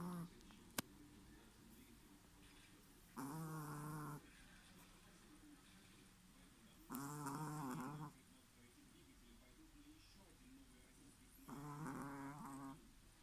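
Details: Sleeping Chihuahua snoring: three loud, rough, harmonic snorts, each lasting about a second and coming roughly every four seconds, with near silence between breaths.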